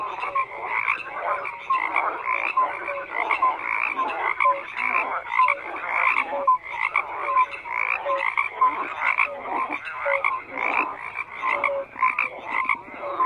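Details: Many frogs croak in an unbroken chorus, with short raspy bursts and clear tonal pips repeating rapidly as the calls overlap, the level staying loud throughout.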